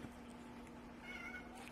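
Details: Indoor adopted male cat whining to go out the door after playtime stopped; a thin, fairly level meow lasting about half a second, over a constant low hum and soft background noise.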